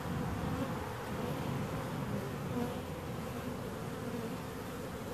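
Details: Even, diffuse buzzing of bees at moderate volume, a rough hum without a clear single tone, unchanging across the short stretch.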